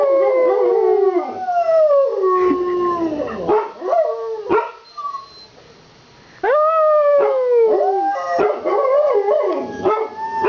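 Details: Two pet dogs howling together right after fire trucks with sirens pass during a town Santa fire truck parade: long, wavering, falling howls with rich overtones, overlapping yips, a brief near-silent pause, then renewed loud howling.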